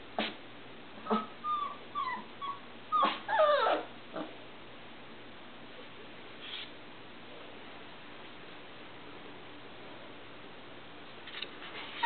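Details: Irish Setter puppies, three and a half weeks old, wanting out of their box: a burst of high, thin whimpers and short yips over the first four seconds, then near quiet with a few faint whines and a knock at the end.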